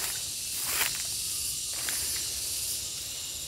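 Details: Gareng pung cicada calling: a steady, hissing high-pitched drone runs without a break throughout, with faint rustles and scattered clicks underneath.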